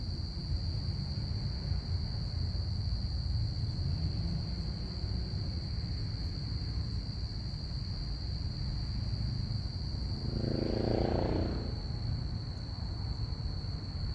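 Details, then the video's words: Saturday-night crickets keep up a continuous high, even-pitched trill while a plane passes overhead, its broad roar swelling and fading near the end over a steady low background rumble. "crickets chirping"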